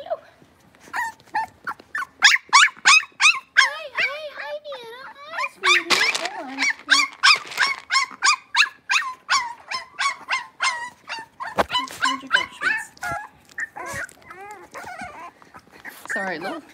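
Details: A litter of five blenheim Cavalier King Charles Spaniel puppies, six weeks old, in an indoor puppy pen, giving a long run of sharp, rapid yelps with short whining slides between them; faint human voices underneath.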